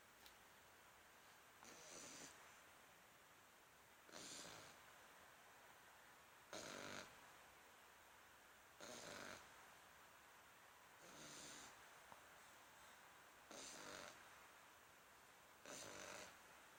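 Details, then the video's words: A French Bulldog snoring softly, each raspy, breathy snore lasting about half a second and repeating roughly every two and a half seconds, in a quiet room. "Bulldog Francês roncando!!!"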